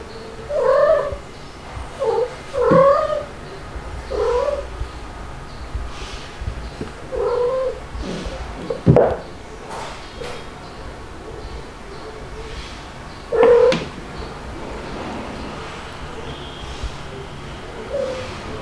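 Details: Domestic kittens Stuart, white with dalmatian spots, and black Lunar at play with their mother cats, filmed in July 2022. Short mewing cries come in a quick run over the first seconds, then one louder wail near the middle and a final one later, over a quiet indoor background.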